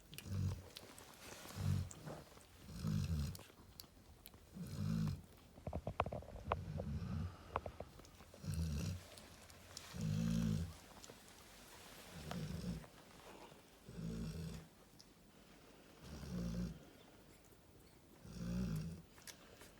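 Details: Narla, a female Cane Corso lying with her babies, keeps up a steady series of about eleven short, deep snorts and snores, with light rustling and clicks between breaths.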